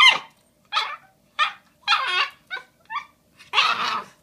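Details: Female Shiba Inu puppy Bowie, one day short of five months old, on Valentine's Day 2016, faced with a giant bone she doesn't know what to do with: seven short, harsh yelping barks over four seconds, the last one longer and noisier.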